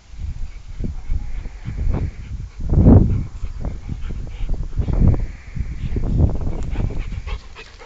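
A Rottweiler gives deep, gruff barks, with a few short bursts standing out from low background rumble.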